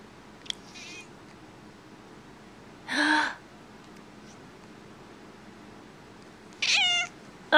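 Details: Pet cat that dislikes sneezing: a faint squeak, a harsh noisy burst, then a clear drawn-out meow falling in pitch, in a quiet indoor room.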